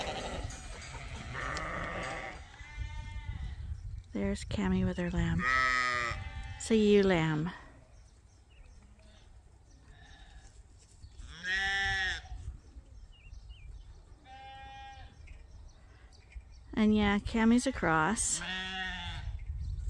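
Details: Farm sheep bunched up on a morning at Ewetopia Farms before release to fresh pasture for the first time this year; bursts of overlapping quavering bleats come in clusters separated by quieter stretches with single bleats.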